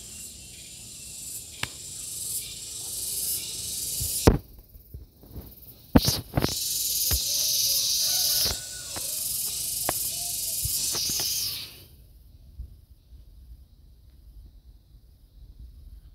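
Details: Gareng pung cicada giving a loud, steady high-pitched buzzing hiss for about twelve seconds, broken by sharp clicks and handling knocks, then stopping abruptly and leaving near silence.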